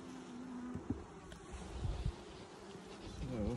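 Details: Buzzing of a honey bee colony, opened for its first 2020 inspection six days after nuc installation, with eggs turning into larvae; a continuous low hum with soft knocks from frame handling and a brief rising voice-like tone at the close.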